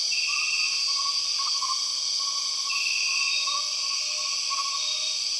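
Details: In Borneo's rainforest, an empress cicada call sits amid a constant shrill buzzing chorus, with wavering whistled notes below and a short higher tone sounding twice.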